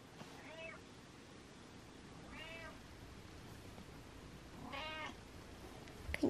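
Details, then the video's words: Butters, a male pet cat, meowing in the morning while getting out of bed: three short, quiet, harmonic meows roughly two seconds apart, each briefly rising then falling, in a calm indoor room. "Out Of Bed Morning Meows"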